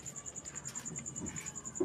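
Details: Cricket calling at night, a shrill, evenly pulsed ringing repeated about ten times a second, with faint low background rustling and a brief soft tap at the end.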